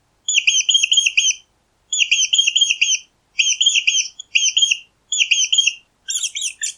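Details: Mouse squeaking: high, thin squeaks in quick bursts of four or five, each burst about a second long and separated by short silences, ending in a rougher, scratchier chatter.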